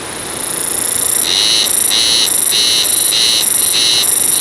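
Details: Haruzemi cicada singing in the wild, body vibrating: a loud, high, continuous buzz that breaks into a pulsing rhythm of about three throbs every two seconds, each pulse adding a brighter ringing band.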